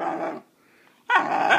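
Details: Puppy being taught to bark on command: a short rough bark-like burst, a brief silence, then a longer harsh, partly tonal vocalization; a person's voice is heard right after, urging it on.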